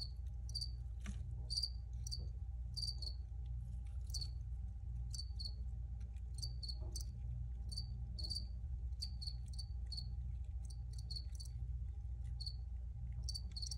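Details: Recorded crickets chirping in brief, sharp high-pitched pulses, some doubled, spaced unevenly with short gaps, against a persistent low-frequency background rumble.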